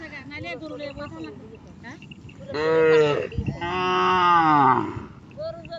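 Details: Cattle that wandered across a river in search of grass: two loud, deep, rich moos, the second longer and falling at the end, with people's voices and calls before and after.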